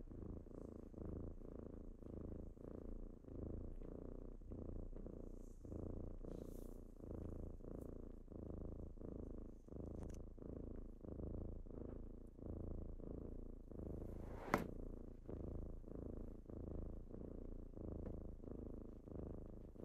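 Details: Morning purr of kittens rousing their owner: a long, even, low vibrating rumble in regular breath-paced pulses, broken once by a sharp brief click.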